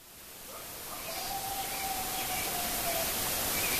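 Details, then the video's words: Coyote at Hokyoji at nightfall gives a faint, drawn-out howl held on one pitch, half buried in steady hiss. "Heard at Hokyoji: Coyote howl"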